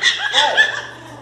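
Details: Miniature Pinscher puppies cry very loudly as people try to pick them up and pet them, a quick run of shrill, whining yelps that sound angry.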